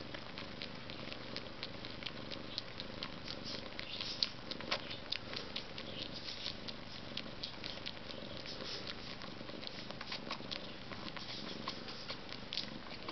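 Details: Maine Coon cat purring with a steady, soft low rumble that runs the whole time. Frequent small clicks and light rustling taps sit over it, with a few sharper ticks near the middle.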